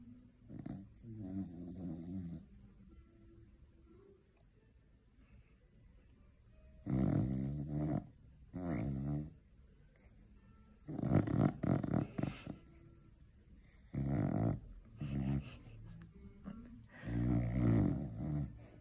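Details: Cocker spaniel asleep after a long day of eating Christmas turkey, giving loud rattling snores in bursts roughly every two to three seconds, low and buzzy, with quiet breathing pauses between.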